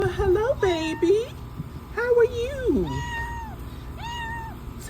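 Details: Domestic cat talking before eating: a rapid run of varied, wavering meows and chirps, some rising and falling sharply, then longer drawn meows, with a person's voice overlapping.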